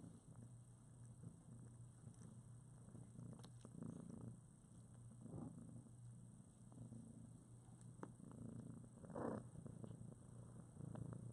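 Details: A litter of newborn kittens, about two weeks old with eyes recently opened, cuddling with their mother in foster care. Continuous low, rumbling purring, with a few soft squeaks and small rustling noises.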